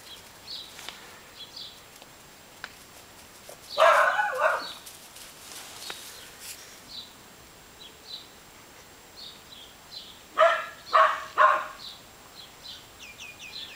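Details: Pepper, a 12-week-old Welsh Springer Spaniel puppy, playing with a new toy: a short burst of harsh yapping barks near the middle, then three quick loud yips close together toward the end, with faint high chirps in a quiet background.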